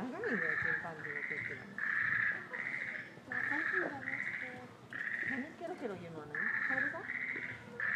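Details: Chimpanzee Pink Daiya, 13 years old, at Noichi Zoological Park in March 2023, gives loud, harsh screams in about nine bursts of roughly half a second to a second each, with short gaps, over a background of human voices and crowd chatter.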